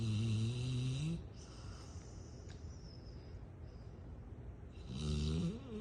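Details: A female Rottweiler snores in deep, rumbling, rattly breaths separated by a long quiet pause while napping.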